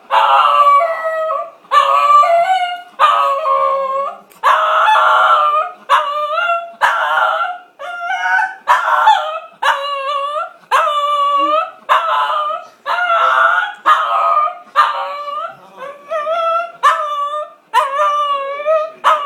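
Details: Buster, a Shih Tzu wanting a walk, howls in a long series of loud, close, short yowls that rise and fall, roughly one per second, over nearly twenty seconds.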